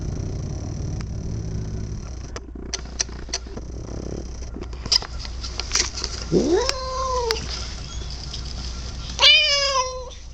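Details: House cat, male, heard after a stretch of clicks and rustling: one bending, arched meow, then a sharper rising yowl near the end, against a low indoor hum.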